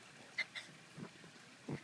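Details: Poodle in a backyard, eagerly waiting for a rock to be thrown during its favourite rock-chasing game, gives four short, sharp, faint barks at uneven intervals, with quiet talk around it.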